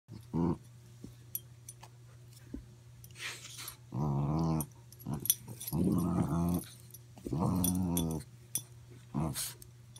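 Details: Two Boston Terriers, the bigger dog Gluten and a 7-week-old puppy one day home, growl in low, rumbling bursts with a few sharp yips during rough play, tug of war and wrestling; finding: Boston Terrier.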